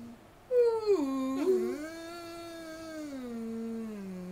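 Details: Male standard poodle service dog singing to greet the day indoors: a smooth, tonal howl that dips and wavers, then settles into one long, slowly falling sustained note.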